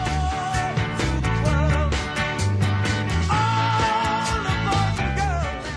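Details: Rock-style music with drums, instruments and sustained melodic tones plays throughout, with no animal calls heard.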